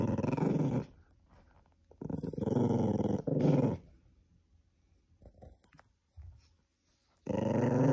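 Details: Cream Poodle indoors, growling to guard an item it won't let go. A gravelly growl is followed by silence, two linked rumbling snarls, faint low noises, and a strong final growl.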